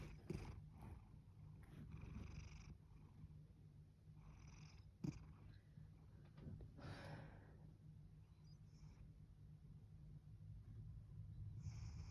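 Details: Binx, a pet cat, purring steadily with soft snore-like breaths, a low continuous rumble with a few brief louder rustles and clicks around it.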